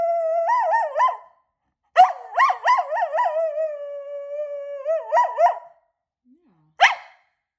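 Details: Pet dog howling when asked to say good morning: long wavering, yodel-like howls with rich overtones, a first burst then a longer warbling run ending in quick wobbles, followed by a short sharp yelp.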